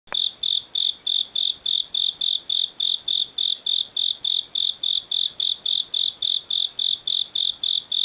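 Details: Japanese burrowing cricket (Velarifictorus micado) calling at higher temperature: a steady series of shrill chirps, about three or four per second.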